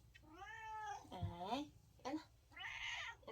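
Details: Domestic cat meowing in a way that sounds like saying "no": drawn-out, wavering meows with bending pitch, three or four calls in quick succession, indoors with faint low hum.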